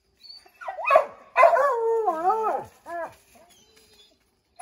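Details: A Redbone Coonhound among five treeing a chipmunk in an oak, drawn-out wavering howl rising and falling in pitch after a sharp bark, then a shorter bay and a brief quiet stretch.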